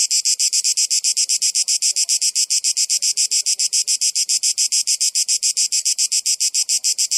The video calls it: Cicadas Noise